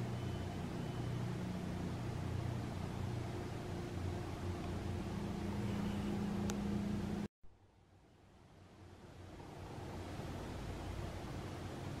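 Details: Steady rumbling vehicle-like engine noise with a low hum, cut off abruptly midway before fading back in.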